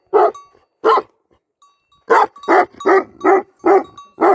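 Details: Barks of a Tibetan Mastiff working as a sheep farm guard dog in Nepal: two single barks, a short pause, then a quick run of five loud, rough barks about every half second.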